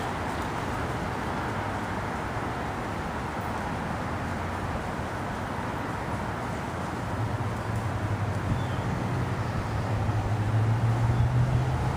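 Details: Continuous outdoor traffic rumble that grows louder toward the end, with a low engine drone and no distinct animal sound.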